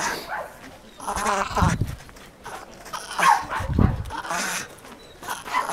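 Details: Jagdterrier Taka letting out brief, high, harmonic yelps in separated bursts, with dull low thumps and rustling noise between them.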